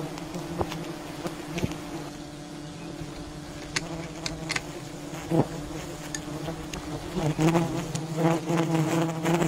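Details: Wild bee colony disturbed during honey hunting: a steady, dense swarm hum with strong bands around 150 to 300, overlaid by scattered clicks and knocks from the harvesting work.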